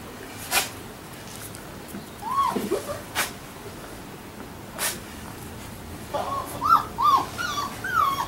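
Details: Labrador Retriever puppies about one week old, giving short high whimpers and squeaks in scattered bursts, with sharp clicks and knocks between them.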